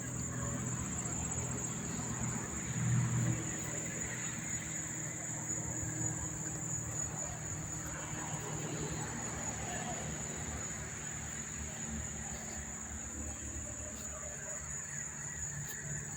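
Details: Crickets chirping near the Monmouth Park train station and racetrack in New Jersey on September 4, 2023: a steady, unbroken high-pitched shrill trill runs throughout, above a heavy low rumble of traffic and distant vehicles.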